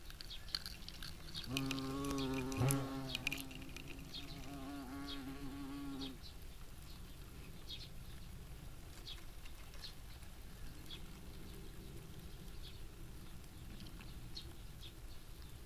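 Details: European hornet (Vespa crabro) on the wing: a low, steady, harmonic-rich buzz holds for about four and a half seconds, wavering slightly in pitch, then cuts off. A fainter hum returns near the end over soft ticking background noise.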